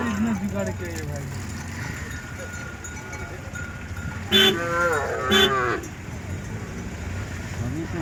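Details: Cattle in a large herd, several animals mooing: short low calls at the start, then two loud harmonic moos around the middle, with a continuous background drone and clanking from the crowded herd.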